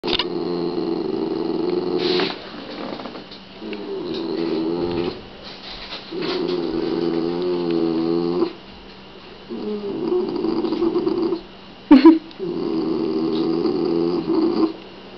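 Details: Shiba Inu dogs Tsuki and Kitsune over a rawhide: throaty, harmonic gargling growls come in bursts of two to three seconds separated by short pauses, with a sudden sharp snap near the end.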